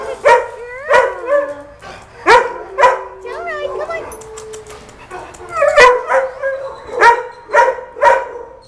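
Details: Rosie, a dog, gives sharp barks at irregular intervals of roughly half a second to a second, with drawn-out wavering whine-like tones between the barks.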